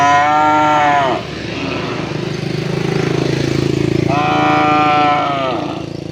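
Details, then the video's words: Cow calling its partners to mate: two deep, drawn-out moos that sag in pitch at the end, separated by about three seconds of steady pulsing engine rumble. "Funny Cow Sounds When Calling Their Partners to Mate"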